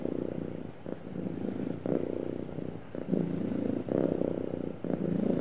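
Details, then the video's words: A happy cat purrs smoothly, low throaty vibration alternating between softer and louder phases roughly each second, steady and close, nothing else audible. "Happy Cat Purring Smoothly"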